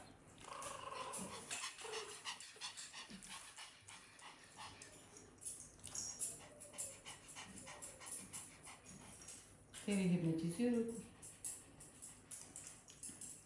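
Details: Dog in a busy indoor home shared with puppies, kittens, parrots and other pets, where Lucia the dog tries to eat the puppies' and kittens' food; quick breathy panting bursts about three per second, with a woman talking in Russian midway.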